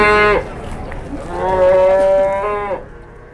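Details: Big cattle taken to market in Indonesia, lowing loudly: a strong moo breaking off at 0.4 seconds, then a sustained, steady, richly harmonic moo from 1.3 to 2.8 seconds that fades out.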